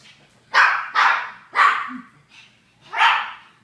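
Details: Japanese Chins giving four loud, sharp barks in quick succession, each falling off quickly, with a faint low grunt between the third and fourth.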